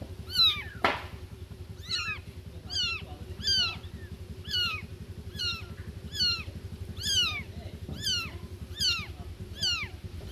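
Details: Young newborn kittens meowing for mom cat: thin, high, downward-curving cries roughly every second over a constant low humming background, one sharp click or thump near the start.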